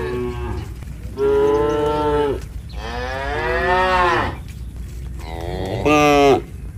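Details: A herd of tame village cattle returning to their pen give long, harmonic-rich moos one after another, calling to companions that arrived ahead of them.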